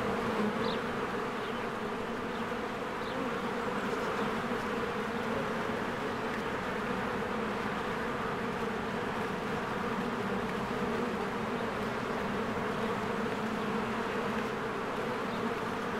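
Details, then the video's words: Many honeybees flying in and out of their hive in spring while flowers bloom, a dense steady buzzing hum with layered droning bands, faint brief bird chirps above. "1 Hour of a Beehive ASMR"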